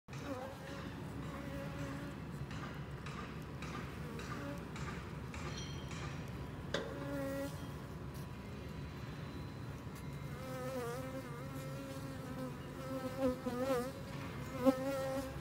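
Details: Western honey bees at a hive being treated with rhubarb leaves against varroa mites give a low, steady droning buzz with faint wavering tones later on.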